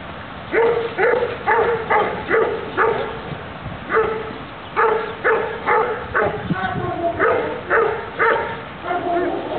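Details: Doberman during a defence training exercise, barking in fast bursts of sharp, deep barks, several per second with short pauses between volleys; a person's voice is heard among the barks.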